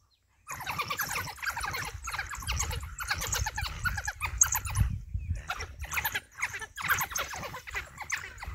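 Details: African wild dog pack in Balule Nature Reserve while hunting, facing a huge male lion that attacked one of them; dense high chirping, squealing twitters in rapid bursts over low rumbling background noise.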